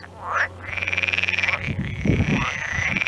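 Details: Crying frogs calling near a stork feeding its chicks: a long steady pulsed buzzing trill lasting over a second, followed by further wavering cries mixed with low rough knocking bursts.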